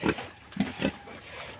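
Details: Duroc pig on a farm in Sivasagar, India, giving three brief low grunts within one second, followed by a noisy background hiss.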